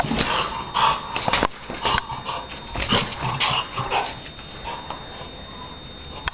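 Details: Donna, a Shar Pei dog, playing indoors: a run of short, rough, breathy barks and huffs about twice a second, broadband and uneven, fading toward the end with a sharp knock at the close.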